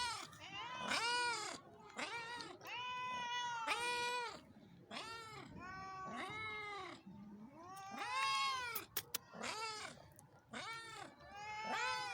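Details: Several cats in Pakistan meow almost continuously, with rapid, overlapping, arching meows and drawn-out wailing calls following one another closely, plus a couple of brief sharp clicks.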